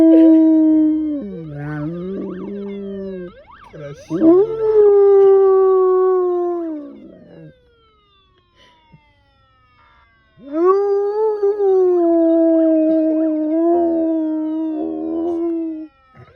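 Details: Gerk, an Alaskan Malamute, howling in response to certain siren signals: long sustained wavering howls that rise then slowly fall, two extended bouts separated by a silent pause, with a brief yelping break early on.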